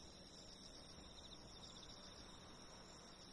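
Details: Insects calling on 28 August 2011, a steady high-pitched trilling band that runs unbroken through the whole stretch, faintly pulsing, over a low, soft background rumble.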